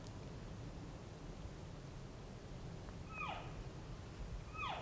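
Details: Elk approaching hunters in Colorado after being called in, two thin, sharply falling chirp-like mews about a second apart near the end, over a hiss of wind and low background noise.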